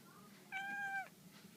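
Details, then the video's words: Black female house cat playing with a laser indoors gives a single steady half-second meow, level and clear with strong harmonics, ending in a slight downward bend, quiet room behind. "My black cat Salem making funny sounds!"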